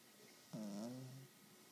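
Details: A 12-week-old English Bulldog puppy asleep, one snoring breath: a wavering, nasal, harmonic drone of about three quarters of a second in a quiet small room.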